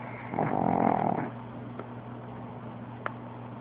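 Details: Pug asleep and snoring: one loud, rough, rumbling breath swelling over about a second, then quieter steady breathing with a couple of faint clicks.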